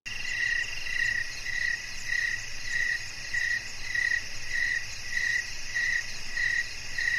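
A cricket chirps in short, regular bursts, backed by a steady high insect hum.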